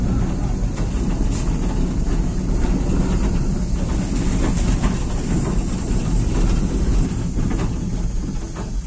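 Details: A dense, steady roar dominated by low rumble fills the scene, with faint music and indistinct voices, and no animal sound stands out.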